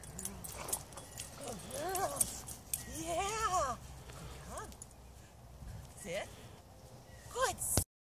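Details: Avery, an 8-month-old female German Shepherd, during off-leash obedience training in Charlottesville, Virginia, gives a series of arched, rising-then-falling whines in short bursts, with a trainer's spoken praise and commands in the background.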